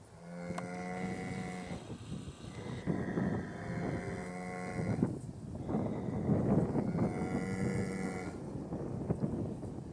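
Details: An Irish cow gives three long, steady, rich droning moos, each held for one to two seconds with short pauses, over a rough rumble of wind or background noise.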